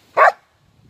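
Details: Female Border Collie called talkative, offered water before setting off for the park on an afternoon outing, answers with a single brief, full-bodied woof-like vocal, then quiet.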